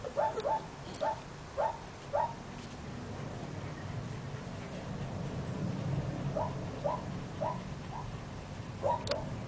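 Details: Central Asian Shepherd Dog, Samirah or Turanga, giving short tonal yelps in two bursts, about five quick calls, a pause, then four more, over a steady low hum.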